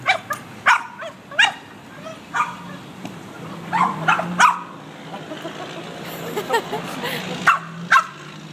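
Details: A Boston Terrier gives sharp, excited barks and yips in irregular bursts, going wild as the windshield washer is used.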